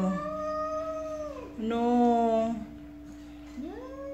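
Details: A jealous she-cat gives a long, falling yowl, then a lower, rough, drawn-out moan. After a pause she starts a fresh rising cry, over a constant hum.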